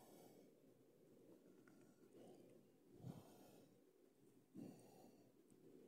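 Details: Horse at the Agro Rações store in Cajazeiras, Paraíba, Brazil, giving breathy, rough snorts and exhalations that swell in slow waves, with two stronger puffs near the middle and end over a low background hum.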